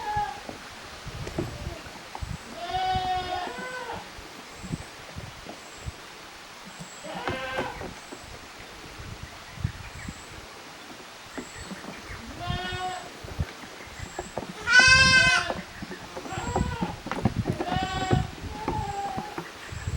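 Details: Young goats at a handmade goat farm in Japan, 13 June 2023, at play in two teams: wavering bleats every few seconds, one loud high bleat in the middle, faint high regular chirps and light knocking behind.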